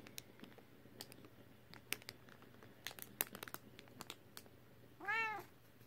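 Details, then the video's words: Female British Shorthair cat kept as a pet indoors gives a single clear meow near the end, arching up then sliding down with rich harmonics, after scattered sharp clicks and taps in a quiet room. "My Cute British Shorthair, Her Meow is Adorable"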